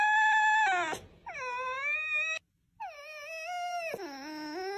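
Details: Red fox (Vulpes vulpes) making clear, high, tonal whines in three bursts. Each rises and then levels or dips, with brief gaps and a click-like break between calls. The background is quiet.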